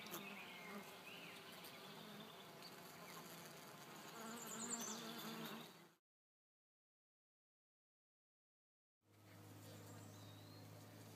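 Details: Calm bees in June 2012 giving a continuous low, even buzz for about six seconds; after roughly three seconds of silence a steady hum returns with a strong low tone.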